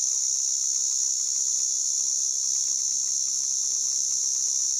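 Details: White drummer cicada (Arunta perulata) producing a steady, intense high buzzing whine without pause; a faint low hum briefly appears in the background midway.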